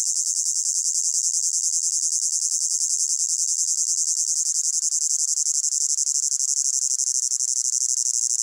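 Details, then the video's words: Crickets in a hot summer meadow, a blended soundscape: dense, continuous high-pitched trilling with a fast pulsing shimmer, steady in loudness throughout, no other sounds. "Sound of Crickets in a Hot Meadow"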